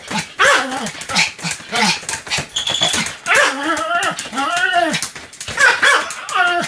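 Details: Pomeranian Sam yapping continuously on 7 October 2015, with bent, whiny high barks coming almost without a break through the clip, close and loud throughout.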